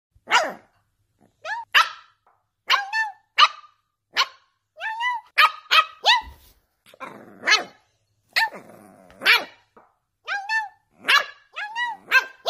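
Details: Boston Terrier puppy, a female, barking back angrily after being barked at by her owner; sharp, high yappy barks come in quick bursts of two or three, with brief pauses, over about twelve seconds.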